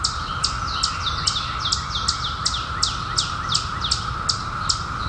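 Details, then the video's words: Periodical cicadas emerged in 2021 after 17 years underground, heard as a steady, even drone held at one pitch throughout. Quick, high, downward-sliding bird chirps repeat about every half second over it. "SOUND OF CICADAS 2021"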